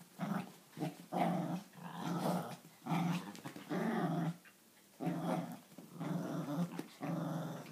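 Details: Two dogs, an Italian Greyhound and a Papillon, growl through a playful morning tug of war inside; deep, uneven growling bursts rise and fall roughly every second, some with sharper yappy edges.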